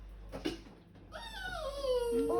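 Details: Frightened poodle hesitating at the top of high stairs lets out a long, high whine that slides steadily downward and ends in a drawn-out steady tone. A soft thump comes earlier, and a person coaxes it in Filipino and English.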